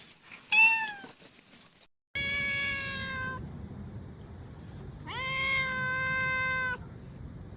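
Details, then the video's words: Cat calling in a bamboo tree while searching for food and drink. A short bright mew, then two long, steady, flat meows of over a second each, separated by a pause, over soft low rumble. "The sound of a cat meowing in a bamboo tree, calling"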